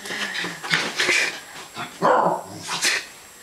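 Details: Several quick sharp yips and barks from Zoey, a West Highland White Terrier at play, scattered between short growly bursts.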